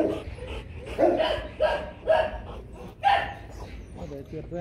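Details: Rottweiler barking while Loki and Siro are brought together to mate: four strong, hoarse barks about half a second to a second apart, over a low background murmur.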